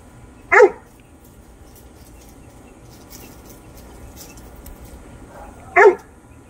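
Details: A Great Dane facing a rat gives two single sharp barks about five seconds apart, with faint low room noise in between.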